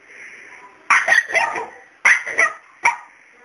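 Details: Barking aimed at Miracle, a cat who refuses to be scared: a male dog gives a double bark, a pause, another double bark, then one short final yap.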